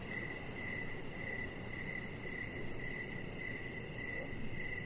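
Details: Crickets heard in the evening outside by a deck, sharp high chirps pulsing steadily about twice a second, backed by an even low rumble of ambient noise.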